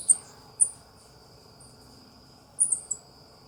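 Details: Very high, squeaky chirps from a South American coati: a single chirp, another half a second later, then a quick cluster of three, all above a constant shrill whine and soft rumbling background.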